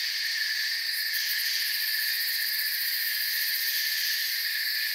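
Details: Night forest ambience of chirping crickets, many insects forming a constant high-pitched ringing wall of sound in layered bands, with brief rapid pulses near the top around the first second; nothing else is heard.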